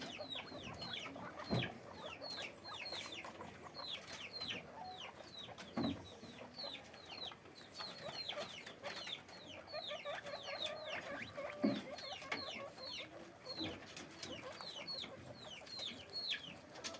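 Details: Many guinea pigs kept in cages on a guinea pig farm, calling in a steady stream of short downward-sliding squeaks, with occasional knocks and clatter of cage movement.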